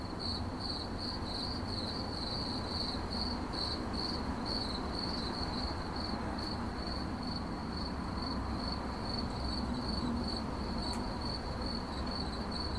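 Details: High cricket chirping in rapid, beaded pulses, more clearly broken early on and smoother later, over constant low rumbling noise with a sharp click near eleven seconds.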